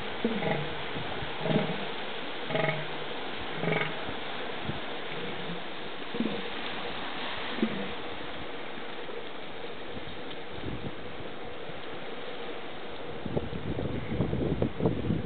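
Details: Two northern elephant seals (Mirounga angustirostris) square off in a brief battle on the beach at Año Nuevo State Reserve, California. They give deep, throaty bellows in short pulsed bursts over a low rumble of surf.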